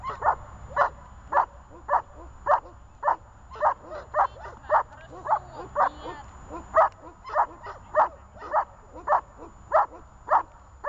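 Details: Guard-training session with the dog Zhelya, who delivers a long, regular series of about twenty forceful barks over eleven seconds, roughly two each second, over a quiet low background hum.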